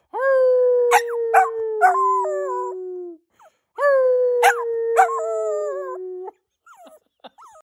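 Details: A male Shorkie, a small pet dog, howls because he misses his owner, giving two long, steady, slightly falling howls of about three seconds each with brief yelping breaks, then a few soft trailing whimpers.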